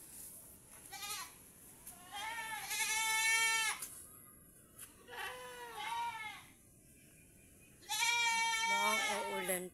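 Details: Raised domestic goats kept tied up on a farm: three loud, quavering bleats about two seconds apart, each a shaky nasal cry. Quiet gaps lie between them, with faint background noise.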